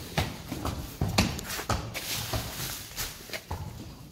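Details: Friesian mares moving in their pasture: hoofbeats come as irregular dull thuds and sharper knocks, about two per second, each a brief broadband burst with weight in the low end, over a quiet background.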